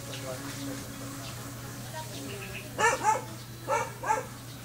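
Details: Rare-colored Belgian Malinois stud dog giving short, punchy barks, two close together then two more after a brief gap, following faint background talking and a constant low hum.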